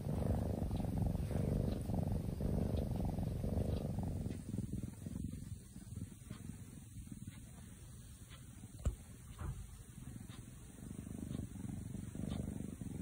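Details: Sleeping kitten purring in deep sleep, a low rumbling purr pulsing steadily, strongest in the first four seconds then fading softer, with a brief click near the ninth second.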